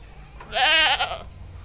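A single goat bleat lasting under a second: a nasal, quavering 'maa' with a tremulous wobble, rising slightly then falling away. The background is quiet.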